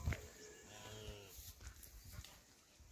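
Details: Khillar cow offered for sale with her calf in Kadlas, Sangola taluka, Solapur district; a short, low, harmonic moo lasting about a second, followed by scattered clicks and faint background noise.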